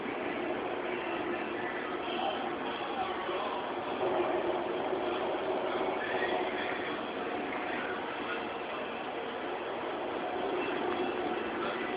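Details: Steady broadband rumble like a passing train or vehicle fills the recording, with faint indistinct speech underneath and no animal calls.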